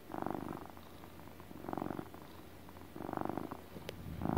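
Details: Domestic cat relaxing and doing his motor purrs: a steady, rumbling, pulsed purr in swells lasting about half a second, one every 1.4 seconds, with quiet breathing gaps between them and a brief faint click near the end.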